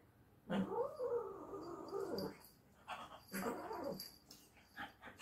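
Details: Irritated domestic cat, teased while it wanted to sleep, producing a long wavering growl-like yowl that rises then drops, a short pause, then a second arched yowl, with a faint voice in the background.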